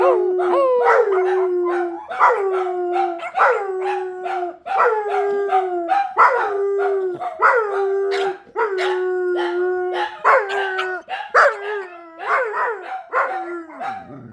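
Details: Several howling dogs keep up a repetitive chorus: every second or two a fresh yelp swoops up and then levels into a falling howl, voices overlapping, the whole fading near the end.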